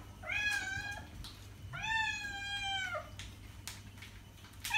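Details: A pet cat gives two long, wavering meows about a second and a half each, the second ending in a falling tail, over a noisy indoor background with a low hum; used to attract cats.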